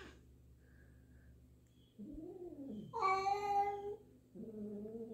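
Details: Two house cats being introduced, a black resident cat wary of a newcomer black-and-white cat; low moaning meow followed by a louder, higher drawn meow and a steady lower wail.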